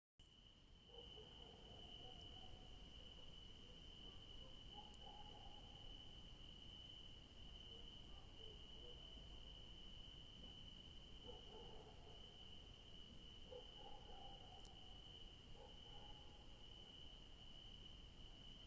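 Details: Crickets chirping at night in a garden in the evening: an unbroken, high, steady trill with a fainter shimmering layer above it. Soft, brief murmurs sound low in the background now and then.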